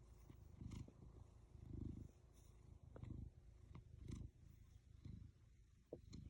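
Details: Black cat purring while resting on a lap: low, throbbing rumble rising and falling in slow, uneven waves about once a second, with occasional small clicks and rustling on top.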